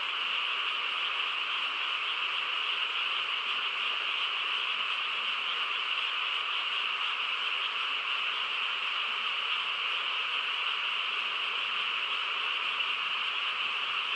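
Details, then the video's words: Many frogs calling together through a still countryside night, their massed high trilling merging into a constant buzzy drone that never breaks, nothing else clearly heard. "고요한 시골 밤에 개구리 합창 소리"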